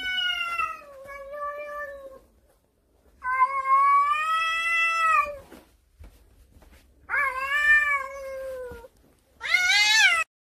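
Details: Cautious mackerel tabby cat living indoors, its cries called cute; four long, harmonic-rich meows, wavering and drawn out, the last one higher and more strained.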